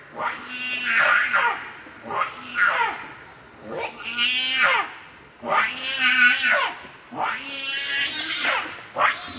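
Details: Angry, hungry baby monkey Leo begging mother for milk with piercing screams: harsh, quavering wails rising sharply then trailing down, repeated in roughly two-second bursts separated by brief breaths.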